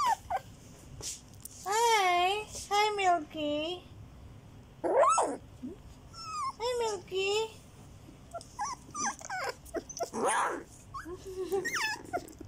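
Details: Fourteen-day-old Border Collie mix puppies, wavering whining cries that rise and fall, several long quavering whimpers in a row, with a person's voice in places.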